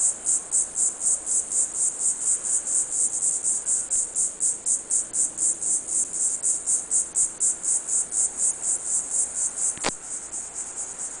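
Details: In hot sun on Pine Island, southwest Florida, Diceroprocta viridifascia call from a pine grove; a shrill, fast-pulsed buzz about four beats per second, very regular, one sharp click near the end as it fades slightly.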